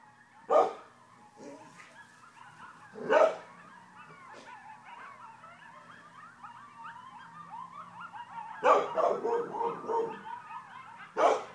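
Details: Several coyotes in Broken Arrow calling together: a wavering chorus of high, quavering yips and short howls that rise and fall continuously. A nearby dog cuts in with loud, sharp barks at the start, in the middle and near the end.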